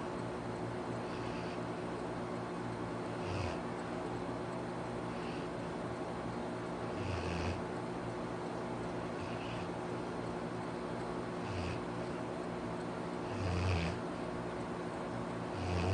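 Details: Arfie, a pet Labrador Retriever, snoring indoors: low, rumbling snore breaths with a soft hiss on top, coming irregularly every two to four seconds over a steady quiet room hum.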